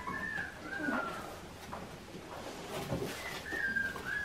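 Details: Australian Shepherd puppies, Clementine's litter, at a farm before air travel in December: thin, high whimpering whines that slide downward, in short bursts at the start, near one second and again near the end, over a faint background hiss.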